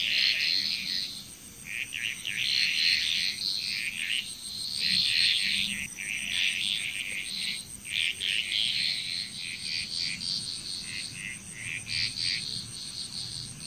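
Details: Massed frogs in Bali, Indonesia keep up a busy, rattling chorus of fast repeated croaks, rising and falling in intensity over many seconds, with a persistent high insect drone in the background.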